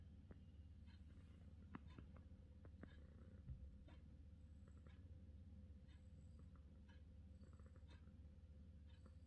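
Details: Quiet, continuous low purring from a British Shorthair cat, an even deep hum broken only by a few soft ticks and brief rustles.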